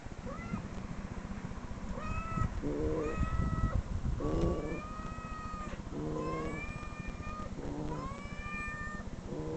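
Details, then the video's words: Recorded cat meows played back from online videos, several drawn-out rising-then-falling mews in quick succession, with low rough harmonic bursts between them over a constant low rumble. "cat meow"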